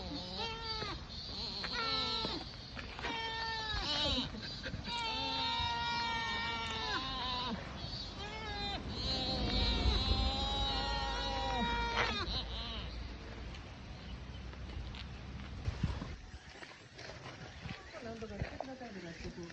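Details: Sika deer in Nara Park, Japan, fighting during the last heat of a hard summer, giving rapid runs of high, squeaky, harmonic bleats that rise and fall, repeated many times for about twelve seconds before fading into quieter background noise.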